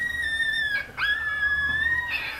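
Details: Chihuahua giving a thin, high, drawn-out tonal whine-howl that holds steady, breaks off briefly near the middle, then resumes and slowly rises and falls.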